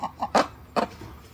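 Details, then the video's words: Captive red-ruffed lemurs at a zoo giving loud warning calls: two short, harsh, barking bursts, preceded by a couple of softer clipped notes, in a brief excerpt. "Red-Ruffed Lemur Calls (warning loud noises)"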